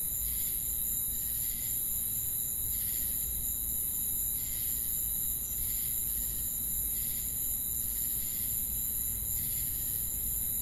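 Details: Nighttime cricket chorus in a forest: continuous high trilling plus regular brief chirp pulses about every second and a half, over a dull low hum.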